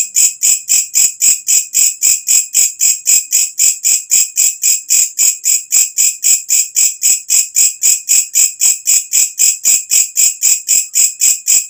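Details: ['A walang kecek katydid, loud at night and kept as a tutor sound for birds, keeps up a long, very even series of piercing high rasps, close to four per second, with nothing else audible.']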